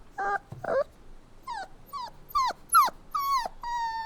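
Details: Puppy crying: a string of short, high whimpers with bright harmonics, several dropping sharply in pitch, ending on one steadier held whine, with quiet gaps between cries.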